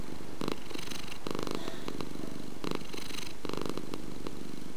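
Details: A house cat's purr, a throaty low rumbling that pulses in regular waves, stronger surges repeating about every second with quieter breathing gaps between.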